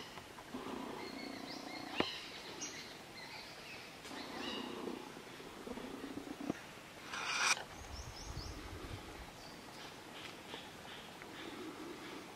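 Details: A young fawn in Kanha National Park, India, calls out to its mother. Several short, nasal, tonal bleats come in the first five seconds, then fainter ones follow. There is a sharp knock near two seconds, a louder burst around seven seconds, and a low background rumble.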